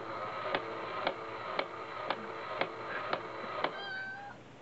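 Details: Brother and sister cats in Osaka play with a cat coin bank. Sharp mechanical clicks repeat about twice a second, then a short, thin, wavering meow comes at the end.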